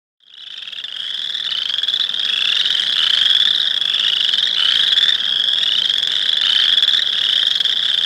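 Boreal chorus frogs give rapid, creaky rising trills, like a thumb run along a comb's teeth.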